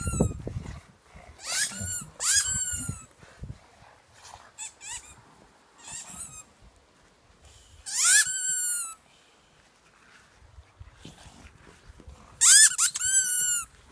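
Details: Male German Shepherd Kody, three years old today, celebrating his birthday in the garden. He makes a series of about five high, strained whines and yelps in separate bursts, with quieter shuffling between them.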